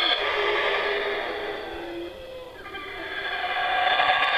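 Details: Howler monkeys at the Belize Zoo in Belize, a home for injured wild animals and animals born in captivity, calling very loudly: a harsh, continuous, rushing roar that dips briefly midway and then swells again to full force.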